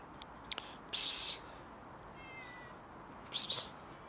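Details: Cats quarrelling over food: two short, harsh, noisy hissing bursts about two seconds apart, with a faint thin meow between them against a quiet background.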